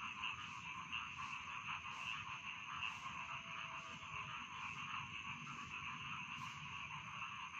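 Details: Rice field frogs croaking together, a continuous grating trill with a few brighter chirps early on and irregular clicking pulses over faint low background noise.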